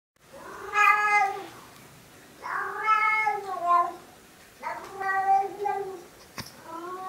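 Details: Two Siamese cats howl and talk after a raw-food meal, with long, drawn-out, wavering meows, several in a row.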